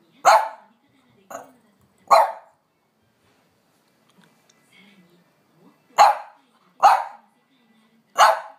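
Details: French Bulldog Amelie, usually calm, demands a walk with sharp barks: three in quick succession, a pause with soft whines, then three more.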